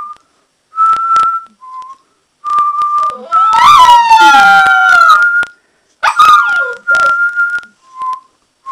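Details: A person whistles level notes while an Alaskan Malamute joins in with a long wavering howl that climbs then falls, rich and buzzy, followed by a brief second howl and more whistling.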